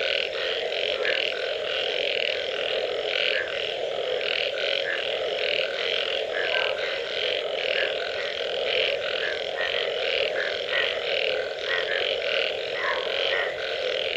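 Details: A frog chorus after rain: numerous frogs croak at once over a continuous buzzing drone, with short rasping notes tumbling over each other at irregular intervals the whole time.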